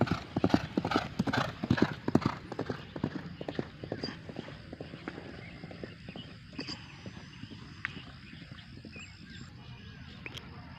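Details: Racehorse training on a morning at the H.M. Hasan Gayo racecourse in Takengon ahead of Derby Gayo 2023: rapid, loud thudding hoofbeats of a running horse in the first three seconds, then fading, over crowd murmur and speech.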